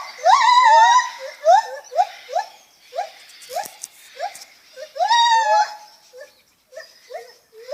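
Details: Lar gibbon making funny noises: a series of short hooting calls, each rising then sliding, with bright whistled tones near the start and middle, repeated roughly every half second, with brief pauses between bursts.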